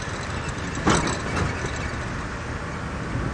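Steady vehicle engine rumble with a brief hiss-like burst, and no animal calls.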